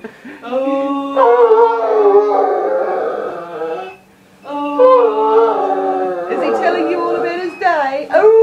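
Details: Doogan, a pet Irish wolfhound, howls at home when the boys come back from school, long wavering tonal notes with bending pitch, one short silence midway, woman's voice faintly mixed in.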